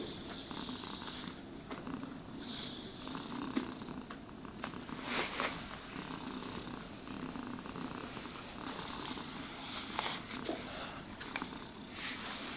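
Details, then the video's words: Domestic cat purring while being brushed and groomed indoors, a steady low rumbling throb running throughout, overlaid by soft scratchy brushing strokes and faint clicks, with no talking. "Cats Purring Sounds for Sleep and Stress Relief | Cat Brushing, Cat Grooming"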